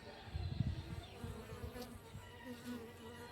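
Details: Honey bees near a hive in the morning hum with a low, steady drone, loudest in the first second as one passes near; the buzz wavers and softens afterward, with faint background noise.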